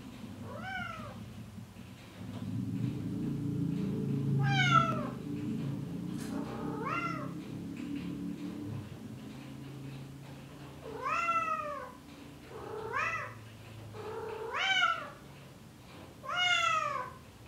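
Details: Male Bengal cat in heat calling to a female, indoors: a string of drawn-out, rising-then-falling meows, single and in quick pairs, over a low steady hum that fades out partway through.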